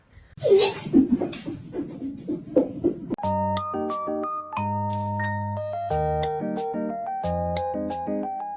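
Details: Talking and laughter indoors for about three seconds, then bright marimba and glockenspiel music plays.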